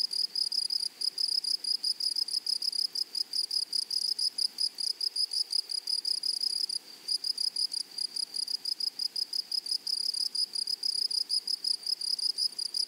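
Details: Grasshoppers in a blooming prairie meadow give a long run of rapid, high, rasping pulses in a steady rhythm, broken by a brief lull near the middle before the buzzing resumes just as strongly.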